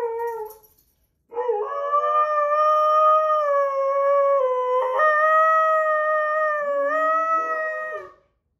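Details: Husky-Malamute Sasha, displeased while Kat the Husky and Paco the Doberman play, ends one note, pauses, then launches a long, steady, tonal howl lasting about seven seconds, a lower second howling voice joining near its close.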